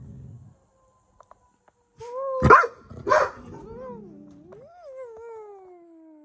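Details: Domestic dog lets out two sharp barks, then a long howl that dips and rises before slowly falling away, with faint low noise at the start.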